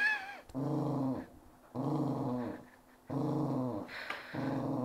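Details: Four-year-old female dog of unknown breed, indoors, growling because she disliked having her leg touched: three long, deep, rumbling growls with pauses between, one opening with a short whine, lip raised.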